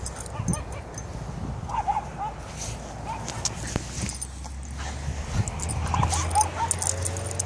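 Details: Many Shiba Inus in a yard give short, high whines and yips over a steady low rumble of background noise.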